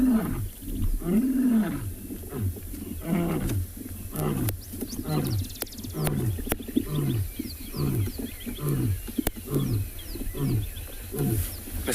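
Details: During a morning safari drive on 24 October 2020 at a South African game reserve, a lion roars with deep, drawn-out moans, then a run of short, falling grunts about once a second; the lions sound like they are moving.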